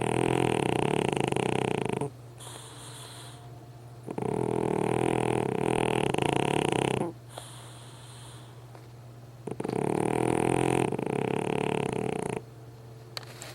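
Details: Pug dog on a long snoring spree while asleep: loud, raspy, buzzing snores of two to three seconds each, repeating roughly every four to five seconds with quieter breathing between them.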